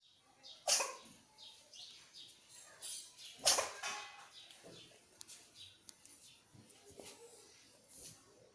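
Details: Pregnant cat sneezing indoors: two sharp, hissing bursts roughly three seconds apart, the first near the start, followed by softer rustling and small clicks.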